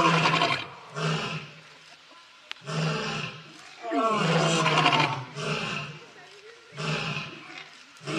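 A lion roars in a series of deep, rough, throaty bursts separated by short pauses.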